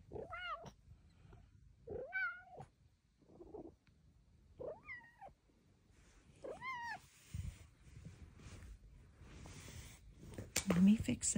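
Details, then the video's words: Female Bengal cat indoors, coming up to chat and chirp with her owner in a tiny voice; four short, clear, tonal meows, each slightly rising then falling, spaced about two seconds apart, followed by rustling and soft handling noises. "Kitty with the CUTEST meows ever!"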